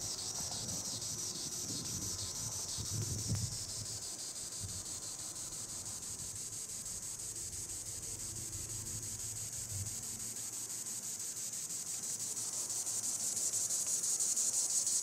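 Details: Treetop song of the green annual cicada, Tibicen linnei: a continuous high-pitched whirring hiss with a fast, even pulse, growing gradually louder toward the end.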